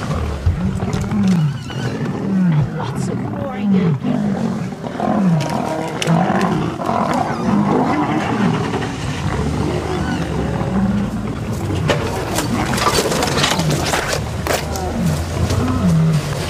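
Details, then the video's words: Wild lions in a fight on an August 11 sunrise safari: three visiting males clash with a pride and its cubs. Deep, falling, growling roars repeat every second or two, with people talking quietly throughout. "Birminghams And Nkuhuma have a ROARING fight"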